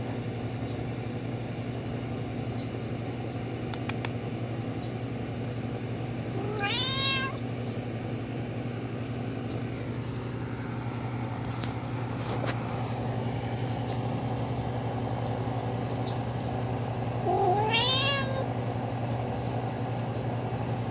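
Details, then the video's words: Domestic cat indoors talking to a friend outside the window, giving two drawn-out harmonic meows about ten seconds apart, the second longer and wavering, over a steady low hum and faint clicks. "Cat talks to friend outside window"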